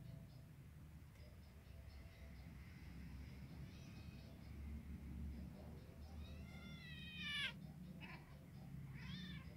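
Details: Kittens and adult cats playing or fighting; a couple of high, falling meows near the end, one sharp descending cry and a shorter rising-falling mew, over low rumbling background noise.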